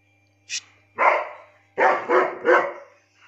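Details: Seventeen-month-old German Shepherd from Lucknow giving a short volley of deep, harsh barks, four in quick succession after a brief high yelp, with a faint low hum beneath.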